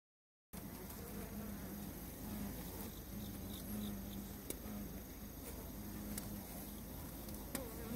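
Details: Honey bees ganging up to fight and kill a giant hornet; a dense, low droning buzz of many wings begins after a brief silence and holds steady, with faint wavering hum tones and occasional sharp clicks.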